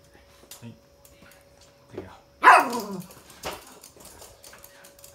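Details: Toy Poodle in its daily morning stuffed-toy play: after a few faint sounds comes one loud, bright bark sliding downward, then brief clattering and a woman's voice quietly praising and giving play cues.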